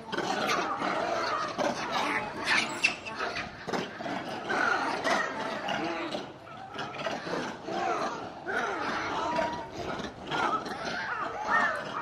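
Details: Zoo monkeys, several together, noticing staff approaching with food and calling loudly while watching them; a dense, continuous chorus of overlapping harsh squeals and chattering cries rises and falls throughout, with brief sharp clatters mixed in.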